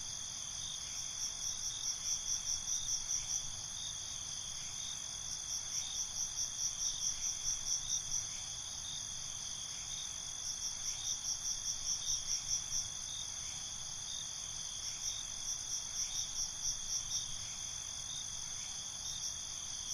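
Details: Crickets at night in a binaural night ambience: a steady high shimmering trill runs throughout, with bursts of rapid pulsed chirps about every two to five seconds layered on top, over a soft low background hiss.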